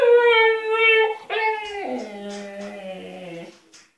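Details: Husky Altezza demanding freedom from the enclosure she is locked in when punished: a drawn-out, talking howl that holds, jumps up, then drops to a long low moan lasting about three and a half seconds.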